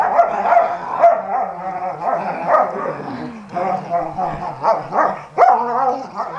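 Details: Dogs playing together, giving a steady stream of growls, short yips and rough barks that rise and fall in uneven bursts, with one sharper yelp near the end.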